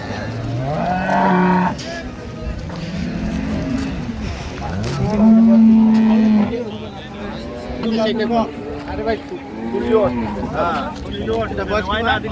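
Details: Improved-breed dairy cows and calves at Ambari cattle market, Dinajpur, on 28 September 2025: low, drawn-out moos, one long steady bellow in the middle, over crowded market chatter and bargaining voices.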